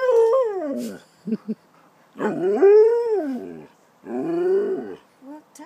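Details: Pet dog asking for his dinner, producing three wavering, rising and falling howl-like whines with brief pauses between them and a couple of short yips.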